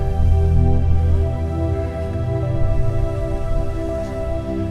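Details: Soft ambient instrumental music with sustained low tones and steady harmonic layers plays throughout, with no animal sounds heard.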